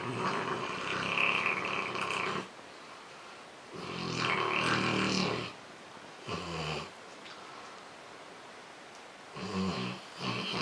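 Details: A Rottweiler snores very loudly at home, as it does daily, in long, rasping breaths with short quiet pauses, keeping another Rottweiler awake.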